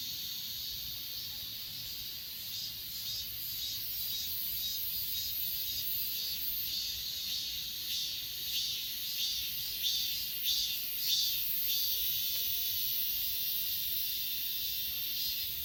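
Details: Grass insects such as crickets on Achasan mountain, recorded on a Galaxy S20 Ultra: a dense, continuous high shimmering chorus with soft pulsing beats, which grow louder and clearer midway through. Faint low background rumble.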